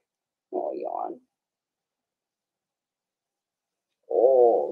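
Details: Four-week-old Cavalier King Charles Spaniel puppies in a home puppy pen, being socialized with other dogs and offered puppy mash; two wavering, moaning whimpers, each under a second long, separated by about three seconds of quiet.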